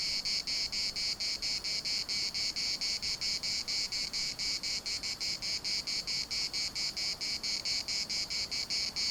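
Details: Cicadas chorusing at the municipal park in Larnaca: a dense, rasping buzz pulsing steadily about four times a second, each pulse bright and high-pitched, with soft background hiss beneath.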